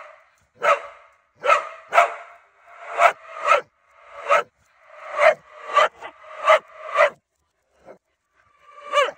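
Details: Corgi and husky barking loudly, sharp broadband barks in quick pairs and bursts about every second, with a few rising whining yelps near the end.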